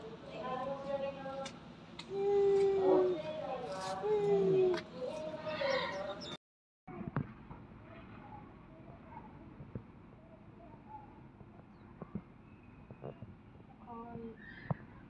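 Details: A captive white-handed gibbon, one of a mated pair at Kyoto City Zoo, possibly the male, gives clear hooting notes that slide slightly downward on 16 February 2023, with visitors chatting nearby.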